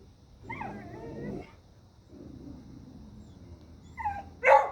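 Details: Dogs at a deer: low, drawn-out growling whines with a higher wavering tone over them, a quieter grumbling stretch, then a rising yelp and one sharp bark to close.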